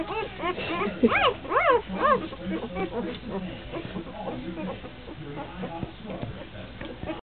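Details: Three-day-old Kuvasz puppies with their mother, recorded 28 April 2009: high, arching squeaky whimpers repeated in quick bursts early on, fading into softer overlapping squeals, with a person's voice and rustling.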